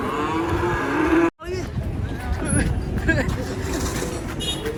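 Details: A cow being unloaded from a truck lets out a loud, steady moo that ends abruptly. Then comes a jumble of voices, clattering and vehicle noise.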